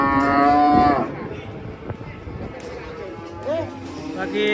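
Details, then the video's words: Cow being unloaded from a truck in Indonesia; a loud harmonic moo in the first second, then quieter short calls and a brief rising-falling call near the end over background noise. "SAPI LUCU TURUN DARI TRUK"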